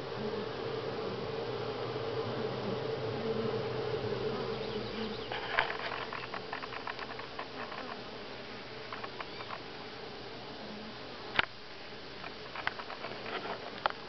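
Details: Honey bees buzzing at Grass Lake Sanctuary in July, week six; a steady hum that softens midway, with scattered sharp clicks and taps over the drone in the second half.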